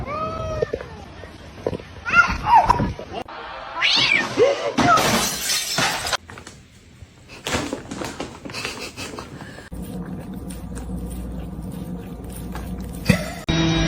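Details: A cat gives several drawn-out, wavering meows across the first five seconds, mixed with clattering and crashing noises, then a steady droning background with scattered knocks and thumps.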